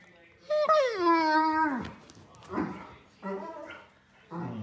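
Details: Older Pudelpointer named Nico grumbling in frustration because he wants to go outside: one long whine dropping steadily in pitch, followed by three shorter throaty, muttering groans indoors.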